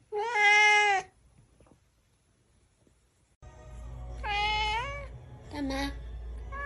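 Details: Cat meowing: a loud bright meow, a pause of near silence, then a longer meow and a shorter lower one over a steady low background hum.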